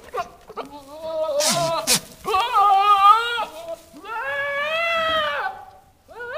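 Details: Two newly arrived Nigerian Dwarf goat bucks (Capra hircus) give loud, wavering, nasal bleats and screams, sometimes almost monkey-like, calling to does in heat in the barn.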